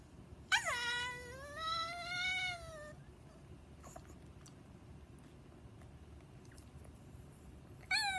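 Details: Pet Chihuahua that cannot bark, making one long wavering, whiny cry lasting over two seconds with a slight rise and fall, then near silence with faint clicks before another cry begins at the very end.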